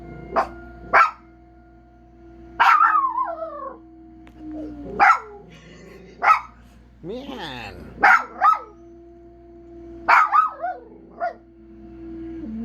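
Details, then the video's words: A dog at home barks loudly in single and paired bursts, some trailing into brief wavering howl-like yelps, with a long quivering vocal phrase near the middle and a steady background tone throughout. "Howling Trump"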